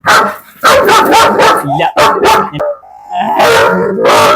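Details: German Shepherd barking loudly in short harsh bursts, two quick clusters then a pause and another burst, with a person talking nearby.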